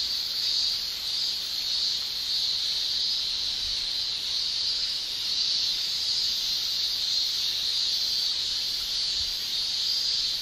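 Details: Cicadas shrilling in summer in Japan: a dense, steady, high hiss-like drone with gentle swells in loudness every second or two. No pauses and no other clear sounds.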